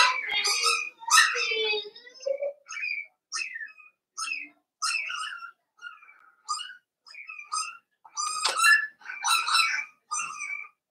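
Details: Five-week-old Cavalier King Charles Spaniel puppies in an indoor puppy pen, giving high, squeaky whines and yelps: short harmonic bursts, some rising and falling, about once a second, with brief gaps of quiet between them.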